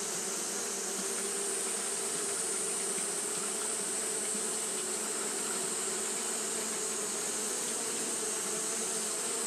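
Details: On a hot day Japanese honey bees keep up fanning behaviour, giving a constant layered buzz: a low steady drone under a sharp high-pitched hiss, with no pauses.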